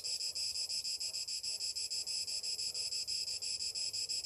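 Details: Cicadas on a summer morning produce an intense high-pitched buzz broken into regular throbbing pulses, about three each second, steady and unbroken across the short stretch.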